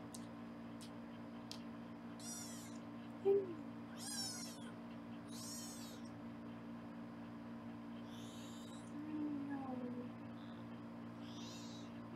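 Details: Foster kittens at a live kitten cam in Los Angeles, being weighed indoors: several thin, high, harmonic meows in quick succession, with steady room hum beneath.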